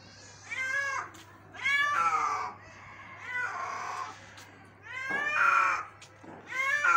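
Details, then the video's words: Rescued injured kitten crying in the morning, a run of uneven meows, some short and rising and others long and wavering, with a steady low hum and a few faint clicks behind. "Injured Cat Rescue 🤯 Kitten Meowing Rescue"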